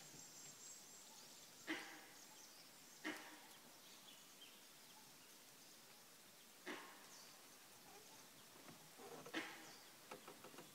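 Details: Langur monkey alarm calls on an early March morning in Kanha National Park, given because a predator was nearby: four short, harsh barking bursts at irregular intervals over a steady hiss of insects and distant ambience.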